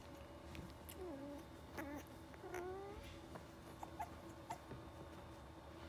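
Pembroke Welsh Corgi puppies give thin, wavering whimpers that slide up and down over a steady background hum.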